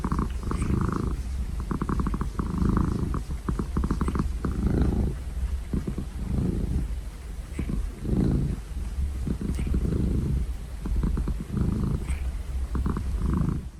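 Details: Cat purring continuously, a deep throbbing rumble rising and falling in regular breathing cycles about every one to one and a half seconds, with light crackling ticks.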